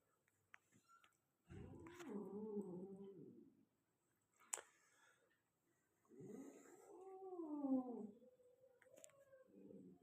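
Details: Golden Persian kitten giving two drawn-out, wavering meows, each lasting about two seconds, with a quiet gap and a soft click between them in a quiet room.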